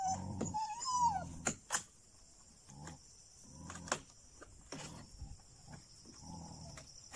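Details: Dogs attacking jungle cats near Chilaw, Sri Lanka: short, rough, low barking bursts repeat irregularly, with a higher whining tone rising and falling at the start, over a steady high insect buzz.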